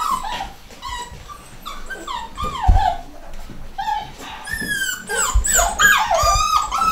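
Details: Home-bred litter of pedigree miniature dachshund pups, nine weeks old, both sexes: rapid chorus of short falling whines and squeals, sparse early on, then louder and crowded as more puppies join, with soft thumps below.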